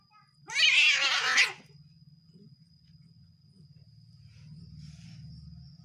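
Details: Domestic cat angry at its partner lets out a single loud, harsh, wavering yowl lasting about one second, followed by a low hum and faint rustling.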